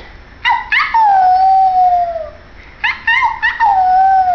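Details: White Pomeranian male howling along with his human companion at home; two bouts of yelping onsets sliding into long, slightly falling, tonal howls, each lasting about two seconds, separated by a short pause.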